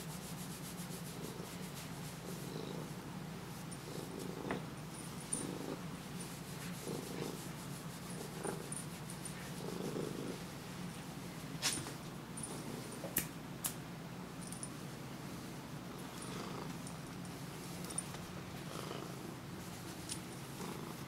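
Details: A Siamese cat seeking attention purrs steadily, a low rumbling throb that swells and fades with each breath.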